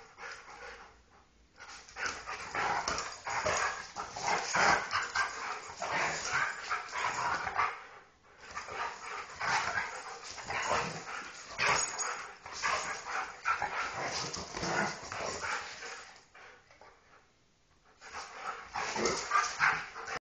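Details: Husky and Golden Retriever playing rough together, a dense run of growling, snarling and yipping play noises in bursts, with brief pauses around eight and seventeen seconds.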